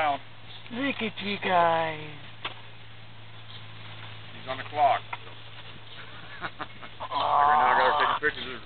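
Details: Puppies at play give a quick run of bent, falling yelps in the first two seconds, then fainter squeaks and a burst of rough noise toward the end, with a constant low hum beneath.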